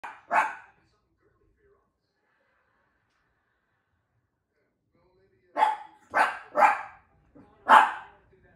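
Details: Shih Tzu pup reacting to a new bowl, voicing his opinion: one sharp bark, a long silence, then a quick run of four to five high yappy barks near the end.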